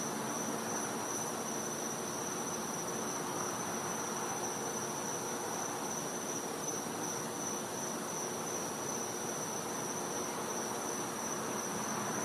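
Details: Cicadas calling at night in winter in a Florida back yard: a steady, unbroken high-pitched whine holds one note throughout, over a dense hiss of background insect noise.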